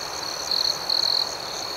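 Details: Crickets at night: a steady high, thin ringing chorus with two brighter pulsed trills, each lasting under half a second, rising above a faint higher shimmer.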